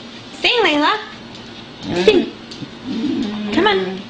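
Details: A female beagle, adopted and long silent after past mistreatment, howls loudly for one of her first times ever in spring 2009: wavering howls in short bursts as her owner talks and howls along between them.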